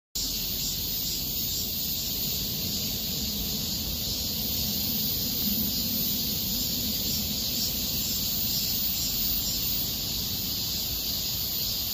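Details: Cicadas singing in Miraesarang Park in August 2021: a dense, unbroken high-pitched shrill drone that holds steady throughout, with a low rumble of distant traffic underneath.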